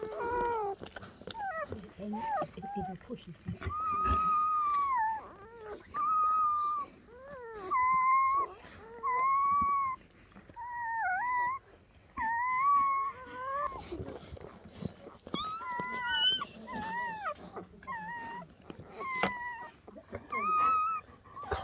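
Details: A newborn litter of German Shepherd puppies, ten born to Betty overnight: repeated high whimpering squeals in pulsing bursts roughly every couple of seconds, some wobbling and some rising, while people speak quietly nearby.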